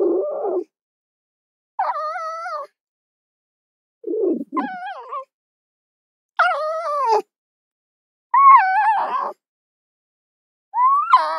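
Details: Fox uttering a series of loud, wavering wails and whines, each about a second long, some dipping low and gravelly, others rising high and tonal, repeated roughly every two seconds.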